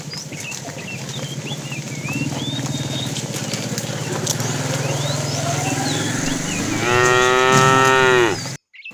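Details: Tame cows herded in the afternoon, with a fat cow calling the female. A low rumbling noise and scattered bird chirps come first, then one strong, sustained moo that falls slightly in pitch at its end.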